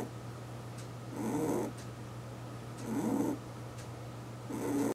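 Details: Pet rabbit aged eight, fast asleep at home, snoring in three hoarse, breathy puffs roughly 1.7 seconds apart; a low steady hum runs through the quiet room.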